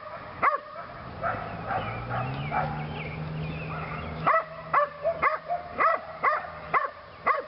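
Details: Belgian Malinois female training in PSA bite work on leg sleeves, her second session: a low growl-like rumble, then a run of sharp, ringing barks about once every half second.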